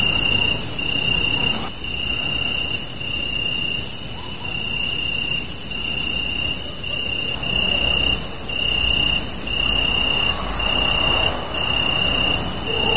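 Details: Night chorus of crickets beneath a super moon, captured with a Samsung Galaxy Note 3: continuous high-pitched chirping in rhythmic dashes, a fainter piercing buzz higher up, over a low, rushing background hum.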